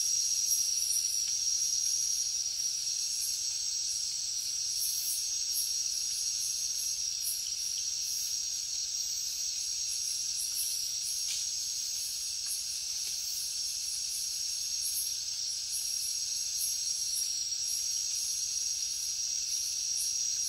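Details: Crickets: a continuous high, thin ringing trill held without break, set against a dense bed of hissing insect noise.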